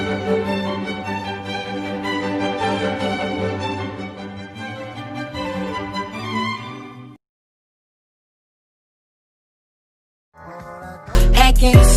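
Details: Layered music with strings plays for about seven seconds, followed by silence and a sudden loud burst of noise at the end.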